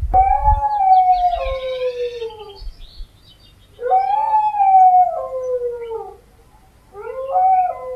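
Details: Dog howling in a compilation of howls: three long, sliding tonal howls that start high and drop in pitch, with brief low thumps at the start and quiet pauses between.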